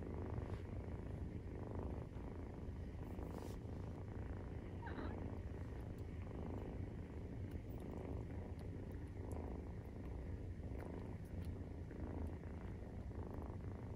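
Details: Maine Coon kittens aged 43 days purr steadily while suckling, the rumble pulsing gently in rhythm with breathing, with no other clear sounds.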